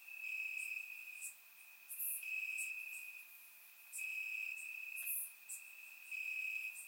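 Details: Warm summer night in Bulgaria with crickets in the grass: one continuous high-pitched trill holds steady while louder sharp chirping bursts swell and fade in pulses a couple of seconds apart, recorded by a surround microphone.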